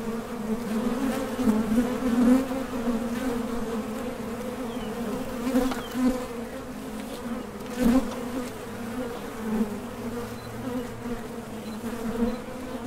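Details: Busy honey bee traffic at the entrance of a Top Bar Hive, foragers leaving and landing; layered low-pitched droning with repeated swells as bees fly close past.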